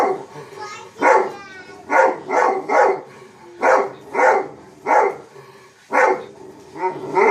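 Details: Chief the dog barks at himself in a steady run of about nine loud, gruff single barks, roughly one every second, with a faint grumble between them.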